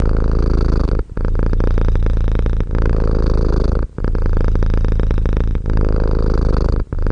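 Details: Cat purring close up indoors: a deep, continuous low rumble broken by short breathing pauses at roughly one-and-a-half-second intervals, with no other clear sounds.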